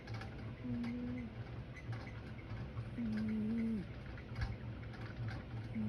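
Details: A sleeping cat snores in soft, whistling nasal tones that hold steady and then dip at the end, one at the start and a longer one near the middle. A ceiling fan hums and ticks steadily underneath.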